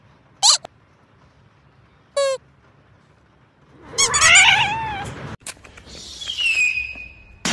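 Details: Domestic cat from a compilation of cute kittens, giving several short, high, downward-sliding mews spaced about two seconds apart, then a louder burst of wavering squeaky calls and a drawn-out, high, whining cry near the end.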